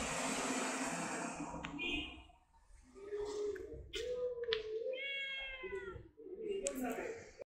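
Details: Stray cat giving a couple of short, bright meows amid rustling and handling noises, with a murmur of human voice in between.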